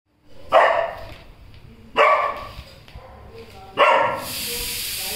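A Golden Retriever gives three deep, full barks, spaced about two seconds apart.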